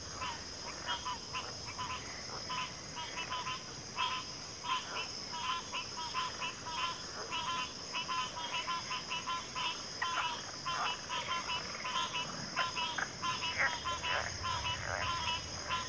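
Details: A dense frog chorus of many overlapping honking and rattling croaks builds without pause, layered over a constant shrill insect drone.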